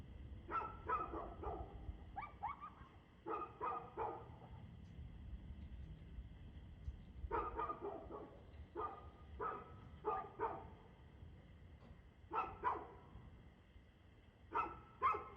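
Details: Barking dog on 2/6/2024, 6:02 pm: repeated bursts of two or three loud barks every second or two throughout, with short gaps between volleys and a faint low hum behind.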